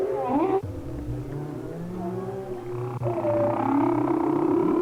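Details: Humpback whale song recorded by hydrophone in winter off Maui, Hawaii: long, wavering tonal moans that slide up and down, layered and overlapping.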